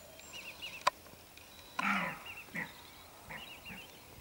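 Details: Roe deer lying down at dusk, surprised, runs off barking to warn two unseen females of people nearby; two short, harsh, rasping barks near the middle, over a quiet background with small chirping bird notes.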